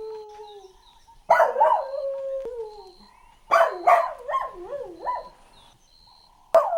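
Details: Golden Retriever puppies playing outdoors on green grass give high, wavering whines and yelps in short bursts.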